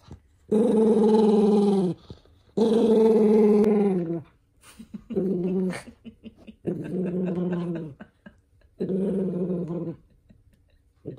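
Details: Angry toy poodle, described as the family's eldest son, protesting as socks are pulled onto his paws: five harsh, throaty growls of one to two seconds each, roughly every two seconds, with rustling handling noises in the gaps.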